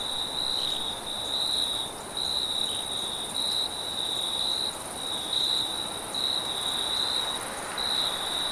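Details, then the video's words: Cricket chirping at night, high-pitched pulsed bursts roughly once a second, with a faint upper overtone band and background wind hiss. "cricket & wind sound at night"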